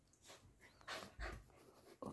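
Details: Samoyed puppy panting: a few soft, breathy, broadband huffs in quick succession, quiet and close, with a brief louder burst at the end.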